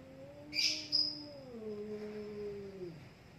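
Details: Two cats squaring off in a fight until one loses its nerve. A single drawn-out moaning yowl slowly sinks in pitch over three seconds, with a brief high chirp early on.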